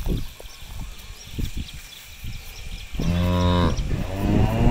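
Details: Cows loose on an empty rice field, grazing and searching for grass; after three seconds of low rustling and chewing thuds, a loud harmonic moo with a steady pitch lasts nearly a second, then another lowing call begins.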